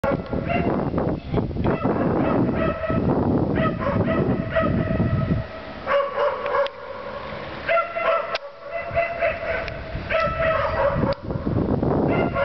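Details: Stray dogs living between apartment blocks bark loudly at night, 7 December 2008 at 21:41, keeping residents awake; a harsh, repeated bark chorus with harmonic yelps in bursts, interrupted by dull broadband noise and quieter gaps.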